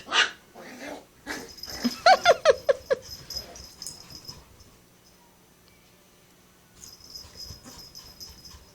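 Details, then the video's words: Adult female Chihuahua and beagle puppy at play indoors: a quick burst of about eight sharp, high yips and squeaky growls within one second, then quiet with a faint high hiss. "Chihuahua Beagle Puppy Dogs Playing Silly Cute Kawaii"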